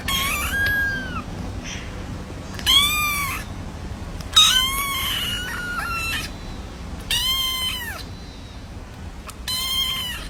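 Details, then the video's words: Cats at a cattery giving a series of five or six arched meows, spaced every one to two seconds, some short and some drawn out, over steady low background hum. "Funny Cats Kitten Meowing Sound Effect"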